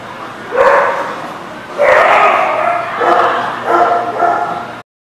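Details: Barking dog recorded 27 December 2019: a series of loud, whiny, tonal barks that slide upward, four or five in about five seconds, the later ones choppy and clustered, over a low steady hum.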